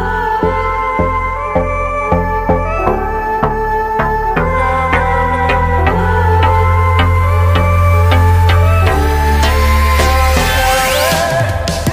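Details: Steady instrumental folk-style music with a regular plucked and percussive beat, bright tones rising near the end; no animal calls are heard.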